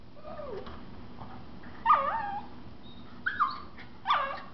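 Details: Miniature Schnauzers, a mother and 4-month-old puppy, playing in a living room; a soft whine followed by three sharp, louder yipping whimpers with falling pitch, spaced over about two seconds.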